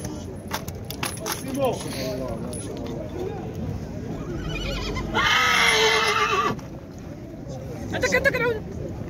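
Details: Horse at the Tuesday market in Khemisset, Morocco, giving one loud, harsh, drawn-out neigh of about a second and a half midway through, surrounded by steady crowd chatter and men's voices.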